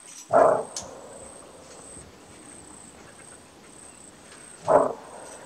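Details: Two abrupt, harsh barks from a greater kudu in Kruger National Park, its well-known alarm call, separated by roughly four seconds of near silence with a faint steady hiss.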